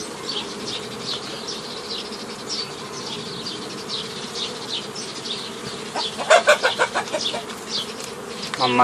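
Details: Honey bees at a hobby apiary on 15 May 2018 while nucleus colonies are formed the old way from a forager swarm: a steady low hum runs throughout, with bright chirping birds above and louder clucking notes near the end.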